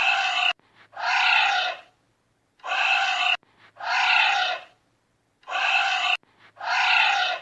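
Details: Giant anteater calling in paired rasping, hoarse exhalations, each under a second, the pairs repeating at uneven intervals with near silence between; nothing else audible.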